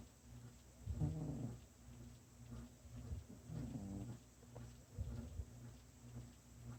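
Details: Sleeping house cat snores quietly, low raspy breathing sounds recurring about every two seconds over constant background hum.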